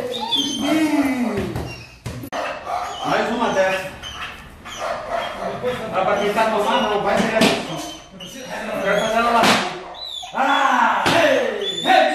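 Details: German Shepherd beginning attack and protection training, barking rapidly and harshly in quick overlapping bursts, with voices and occasional thuds in the background.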